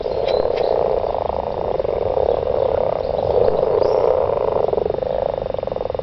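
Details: Unbroken chorus of mating garden frogs, many voices blending into a thick, buzzing wall of pulsed croaks, with a faint higher whistle early on.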